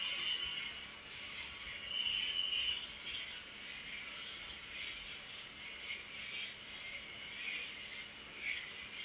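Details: Crickets chirping at night, a continuous high shrill trill holding steady throughout, with fainter pulsing chirps beneath it.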